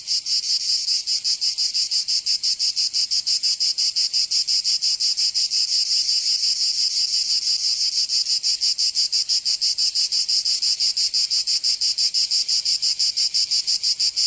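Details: Cicadas singing in summer in Provence, southern France: a dense, continuous high buzzing chorus, steadily pulsing about three times per second, with no other sounds.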